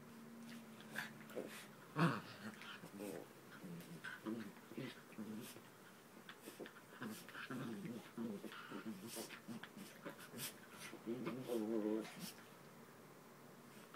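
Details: Puppies playing together indoors on a bed, giving short whimpering and whining yelps with soft growly harmonic bursts, scattered clicks and rustling through the clip, a longer whiny run near the end.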